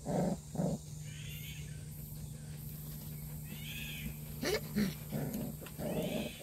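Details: Purebred black Jindo dog: two quick grunting calls open the recording. A pause with faint thin whine-like tones follows, then more short vocal bursts near the end. A constant low mechanical hum runs underneath.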